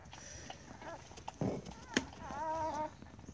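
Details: A newborn Siberian Husky puppy, the third born, gives a short, high, quavering squeal during the birth, with a person speaking quietly and soft rustles; the pup goes for the nipple right away.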